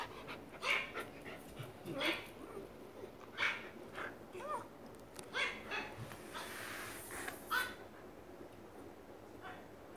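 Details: A domestic dog reacting angrily and worriedly to a phone's barking: sharp barks repeated roughly every one to two seconds across ten seconds, with a faint whine between them and a low hum in the room.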